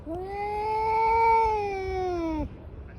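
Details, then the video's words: A single sustained, steady yowl of about two and a half seconds, rich in harmonics, swelling slightly mid-call then dropping off abruptly, from a fight between two tabby cats. "狸花猫大战狸花猫 | Brawl of Two Tabby Cats"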